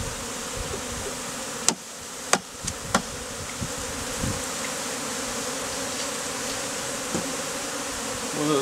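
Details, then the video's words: Colony of honey bees, hived out of a statue, forming a bee beard on a beekeeper who endures stings and heat; even, droning buzz throughout, with four sharp taps early on and a faint swell at the end. "BEARD OF Honey BEES"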